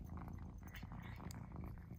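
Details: Domestic cat, one of the pets Mouse and Remi, eager for a tuna treat; a continuous deep purring throb fills the short stretch while a woman's voice murmurs over it.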